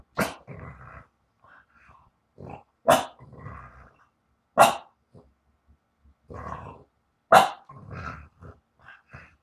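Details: French Bulldog barking indoors: four short, sharp barks spaced about two to three seconds apart, with a person speaking and praising between the barks.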